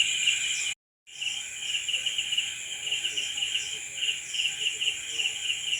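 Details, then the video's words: Crickets at night trilling in a steady, shrill chorus of fast pulses, broken by a brief total silence near the first second before the overlapping chirping resumes unchanged. "Night Cricket Sound Effect"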